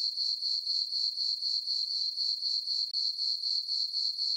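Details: Crickets chirping on a summer night in a meadow under a full moon on a farm: a steady high pulsing trill, about four pulses a second, continuous and even, with nothing else heard.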